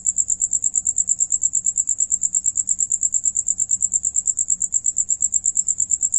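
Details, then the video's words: Crickets singing while another one eats: a high, steady chirping pulse repeated about three times a second, very regular throughout. A faint low rumble sits underneath. "Sonido de Grillo"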